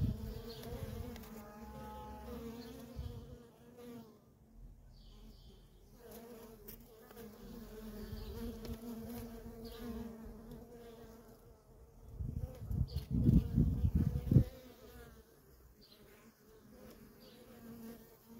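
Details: Constant droning of worker honey bees coming and going at a feral colony, a low steady hum with stacked tones and bursts of deep rumbling thumps partway through, likely wind or handling.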